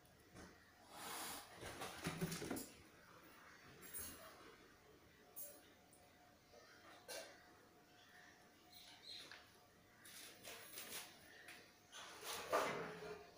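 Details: Cats fighting, giving harsh, noisy hissing and spitting bursts: a long rasping spell early on, short sharp spits scattered through the middle, then a cluster of loud hisses toward the end, with quiet indoor background between.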